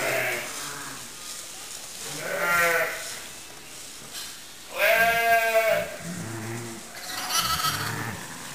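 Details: Few-days-old lamb playing in hay gives quavering bleats, a softer one near two and a half seconds, then a loud vibrato bleat and a fainter one, amid rustling and low background murmurs.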